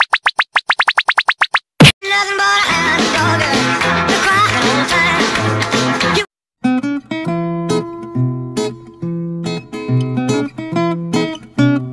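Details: Plucked guitar music with quick ascending notes, a scratch, then strummed and picked melody with brief pauses, no animal sounds.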